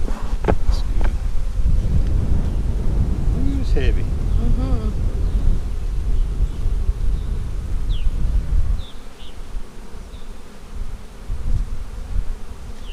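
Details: Low, steady humming of honey bees during an April 15, 2017 inspection of a split made March 4, with short whistled bird chirps and rising notes over the drone before it thins out after eight seconds.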